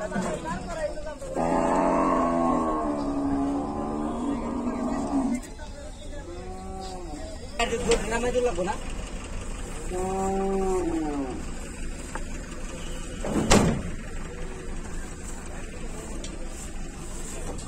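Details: Cattle during unloading from a truck: one long, steady, low moo lasting about four seconds, then human voices talking and vehicle noise with a sharp knock.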